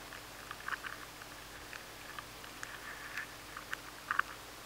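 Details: A maize weevil at home in a grain of maize, nibbling steadily, heard in a high-sensitivity recording as faint, irregular dry ticks and scratches.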